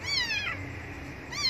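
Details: Abandoned kitten crying loudly for milk: a high, harmonic-rich meow that rises and then falls over about half a second, followed after a short pause by the start of a second meow, indoors.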